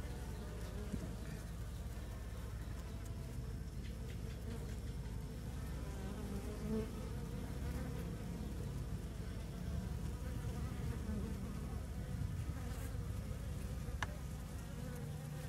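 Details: Swarm of Asian honey bees just separated from the mother colony during transfer while the box is shaken to make them move; a dense continuous low buzz throughout, with faint clicks and handling noises.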